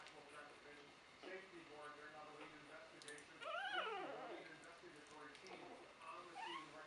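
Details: Three-week-old puppies from Buttercup's 2015 litter give a high, arched, whining whimper near the middle, rising and falling, amid softer fussing and a background of low human voices.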